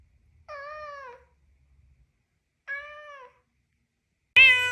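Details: Domestic cat meowing in a quiet room: two steady, slightly wavering meows about two seconds apart, clean and harmonic, ending with a sudden loud, bright, harmonic cry cut off at the end.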